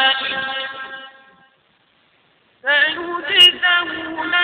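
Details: Goat bleating twice with a silent gap between: a drawn-out, harmonically rich bleat fading away, then a louder, tremulous, wavering bleat with a nasal, quavering quality. No other sounds.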